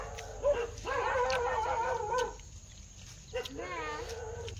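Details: Dog giving drawn-out, wavering whine-howls rich in harmonics: one long call of over a second, then after a quiet pause a shorter call that sinks in pitch.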